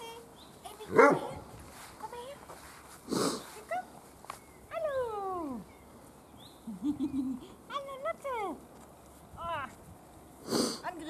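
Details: Weimaraner puppies from Gloria's litter at feeding and play time, recovering from canine juvenile cellulitis and always hungry; a sharp yelp early, then several long, falling, whistly whines, with brief human voice between.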